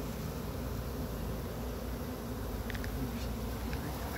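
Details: Chattanooga honey bee swarm being moved from a pine tree into a box with frames; an even, low, continuous hum of many bees, with a few faint clicks near the end.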